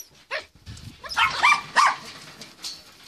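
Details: Four-day-old German Shepherd puppies in Jamaica, with their agitated mother close by; a few short, bright squealing whines rise over a woman's voice in a brief burst.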